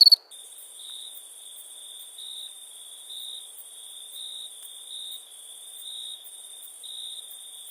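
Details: Crickets at night in India, a brief loud chirp at the start giving way to a continuous faint high-pitched trill with a slowly pulsing swell about once per second.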